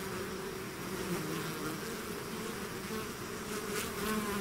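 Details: Bees swarming out of the hive make a thick, unbroken buzz, individual insects briefly rising and falling in pitch as they pass within the steady low hum.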